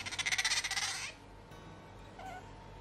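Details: An Asian small-clawed otter living in a Tokyo home with dogs and cats replies to its name being called with a fast burst of high, squeaky chirps, about a dozen in one second, followed by near silence indoors.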